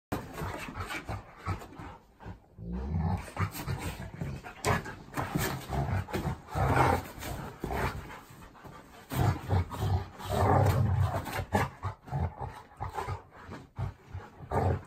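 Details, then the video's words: Two pet dogs, Sam the Golden Retriever and Tucker the Labrador, play-fighting each other; low rumbling growls and snarls come in bursts, with panting and scuffling between them. "Sam Golden Retriever and Tucker Labrador Fighting Each Other"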